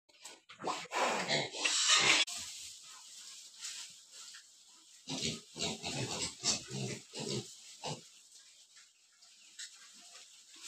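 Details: Pigs on a large pig farm in India: bursts of harsh, noisy squeals and grunts, loudest in the first two seconds, followed by irregular short grunting pulses.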